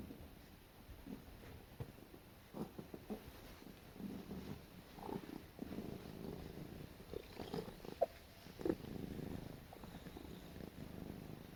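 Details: A female house cat snuggling while being petted indoors makes soft, quiet purring with scattered brief murmuring chirps and small rustles.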